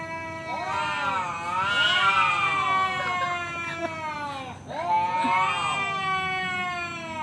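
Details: Male cat inviting a rival to fight, loud strained yowling in two long swelling bouts with harsh, warbling, rising-and-falling tones and a brief break between them.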